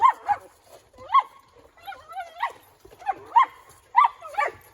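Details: Mr. Speckles, a Collie, excited while playing with his favorite ball on a backyard playground. He lets out a rapid run of high, rising yips and whining barks, about seven in under five seconds.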